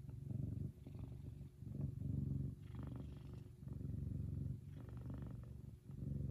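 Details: A happy male F2 Savannah cat purrs loudly and steadily, a deep rumbling throb that swells and eases with each breath.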